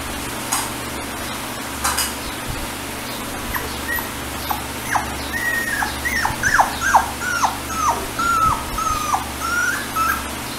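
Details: Chihuahua puppies, a pocket or teacup sort, whimpering in a small room: a run of short, high, whining yelps that bend down in pitch, quickening to a dense burst of about a dozen in the second half, over a steady low hum.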